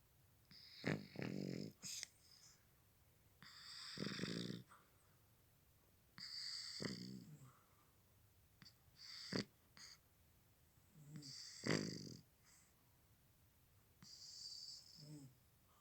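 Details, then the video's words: Sleeping cat snoring: raspy, breathy snores come in bursts about every two to three seconds, each a rough low rattle with hissing air, separated by near-silent pauses, indoors. "Кот храпит!"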